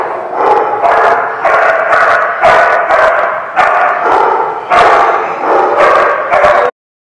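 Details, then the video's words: Dogs barking continuously in harsh, loud bursts, roughly one or two barks per second over several seconds, overlapping as if from more than one dog, ending abruptly. "The Barking Lot"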